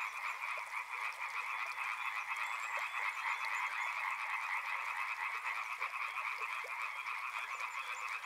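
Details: Many frogs calling together near a river, a continuous rattling chorus of quick, uneven pulsed croaks layered into a constant drone throughout.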